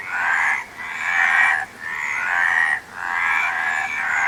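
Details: Frog calls as long rasping, buzzy croaks, each roughly a second long, separated by short pauses, loud and steady with no other sounds standing out.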